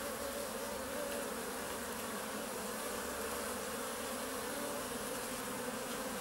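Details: Honey bees seen up close alongside early bumblebees; many wings produce an unbroken, thick buzzing drone with steady tonal bands and no other sounds standing out.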